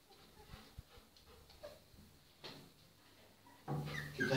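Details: Golden Retriever puppies at playtime: a few soft thumps and faint squeaks, then a loud, rough puppy bark or yelp bursts out near the end.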